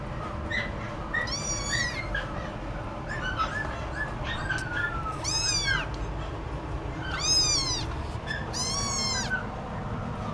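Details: Scottish Fold cat meowing: several high, thin, arching meows, some rising then falling, scattered over ten seconds against a steady indoor hum.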